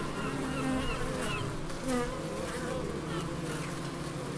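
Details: Continuous droning of bees in a Scottish garden, the Biblical Gardens in Elgin, Moray; layered low buzzing tones rise and fade as individuals fly past, with light high twittering in the background.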